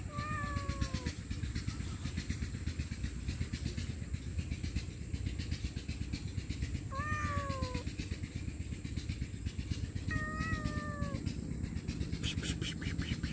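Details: Stray cat, hungry and homeless, begging loudly for food and shelter with three long, falling meows spaced several seconds apart, each with a wavering tail, against a steady low engine-like hum.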